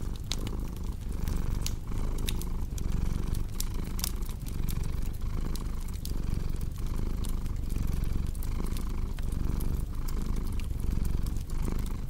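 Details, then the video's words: Purring cat, a deep steady rumble rising and falling in short breath cycles about every second, with a cozy crackling fire snapping and popping throughout. "Purring Cat with Cozy Crackling Fireplace Sound"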